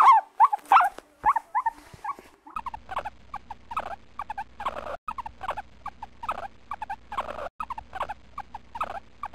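A guinea pig gives quick, squeaky chirps, then a steady run of short repeated squeals over a low hum.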